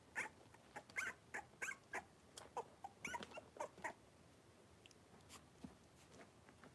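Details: Five 3-week-old blenheim Cavalier King Charles Spaniel puppies, born at New Year, wrestling and playing in a home puppy pen; short squeaky yips, whines and grunts come in quick bursts, about a dozen in the first four seconds, then sparser and softer.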